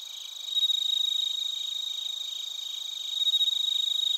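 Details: Chirping of bell crickets and crickets from Narita, Chiba, Japan, recorded with a TASCAM Portacapture X8; a close, clear high ringing trill pulses rapidly and steadily over a softer continuous background chorus.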